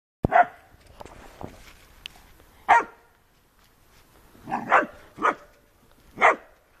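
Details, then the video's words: A Doberman plays with a white Staffordshire Bull Terrier; scattered short barks and yelps at uneven intervals, with quieter scuffling between them. "doberman playing with white staffy"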